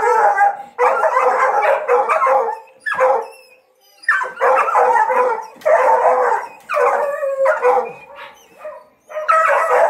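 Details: Hunting dogs being trained to hunt paca give loud, drawn-out baying howls in long bursts of about one to two seconds, separated by brief pauses, with sharper yelps between.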